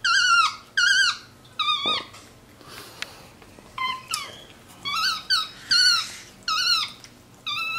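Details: Capuchin monkey MonkeyBoo, a pet, vocalizing while resting on his leather couch indoors; squeaky harmonic calls that rise and fall, given in short bursts about once a second with brief gaps.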